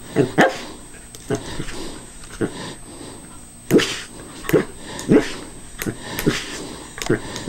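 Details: A Cairn Terrier cautiously attacks a callous remover that is switched off, giving sharp, high barks in quick bursts, with a faint steady hum behind.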